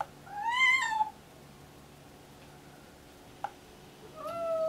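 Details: A pregnant, deaf domestic cat in prenatal labour, excited and meowing constantly, gives a loud, drawn-out meow that rises and then falls, followed later by another.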